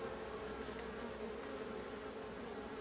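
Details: Honey bees of a drone-laying hive buzzing before the colony is smoked and shaken out; an unbroken, even droning buzz with a steady humming tone and a few faint clicks.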